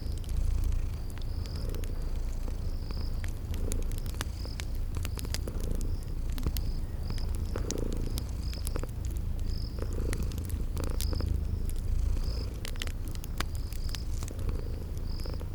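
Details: Kitties asleep and purring in a cozy spring garden scene: a continuous deep purr with soft swells, over snapping fireplace crackles and regularly spaced high-pitched cricket chirps.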